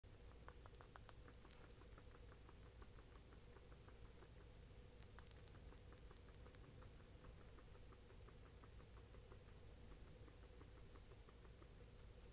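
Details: A male guinea pig smacks his lips while mashing banana, chewing steadily with soft rapid crunching clicks over a low background hum.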